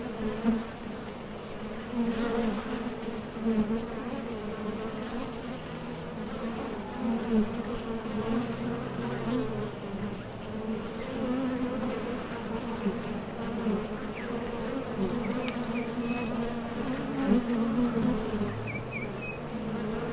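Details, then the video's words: Honey bees at a top bar hive entrance heading out for nectar or landing, a steady low buzzing drone with frequent small surges from passing bees and a few faint high chirps in the background. "HONEY BEES Sound Effect #MasonJar | BEES BUZZING"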